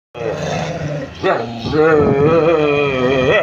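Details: A street dog 'sings' in a long, wavering, tuneful howl that rises and dips in pitch.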